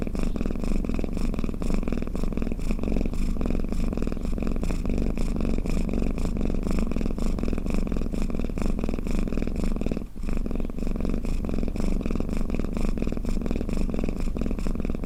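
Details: Long, steady snore-purr from a cat, a low rough rumble that pulses with its breathing and pauses briefly once near the middle before resuming.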